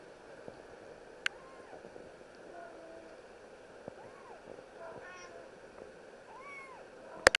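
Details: A seal point Scottish Fold cat gives soft, arched meows that rise and fall, with a few sharp clicks between.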